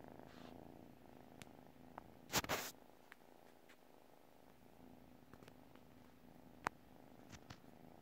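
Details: A sleeping domestic cat purring softly, a low steady rumble running through the whole recording, broken by a brief loud rustle near the middle and a few faint clicks.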